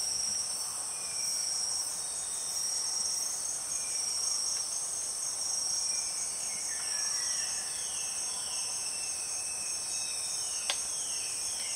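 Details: Empress cicadas in the Borneo rainforest: a loud, steady, piercing high drone with no break, with fainter sliding whistled tones dropping in pitch, repeated several times underneath.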